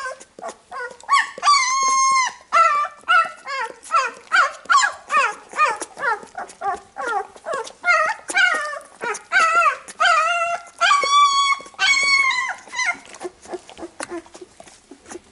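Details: Labrador Retriever puppies whimper and squeal in quick, high, wavering whines while their mother cleans them after nursing.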